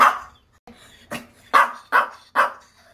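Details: Indoors after a grooming trip, the Maltese Dubu, recovering from ligament and ovary surgery, barks in anger: one loud bark, quieter short yaps, then a quick run of three forceful barks.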